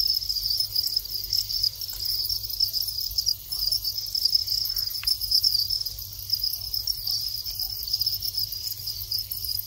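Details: Farmed Thai crickets in their breeding cycle, males calling as mating begins: a dense, continuous high-pitched trill of rapid pulses, steady throughout, with a faint low hum and a few soft clicks behind.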